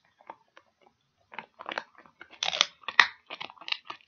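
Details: Near-silent start, then a dog's rapid crunching on a pig ear builds into loud, dense, tearing crackles and quick bites, the crispest bursts coming around the middle and late part.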